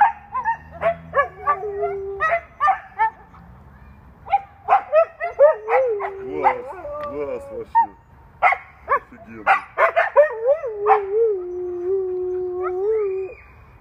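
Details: Pet Siberian Husky vocalising in a rapid run of short yips and yelps, broken by drawn-out wavering whines that slide up and down in pitch, ending in a long level whine.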